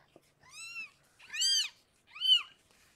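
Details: Three bright, strained mews in quick succession, the middle one loudest, from the birth of six kittens to rescued foster cat Harlequin indoors.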